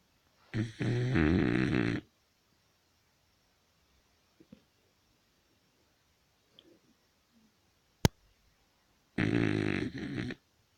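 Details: Sleeping Beagle snoring indoors: two long, rasping, low snores of about one and a half seconds each, roughly eight seconds apart, with near silence and a faint click between them.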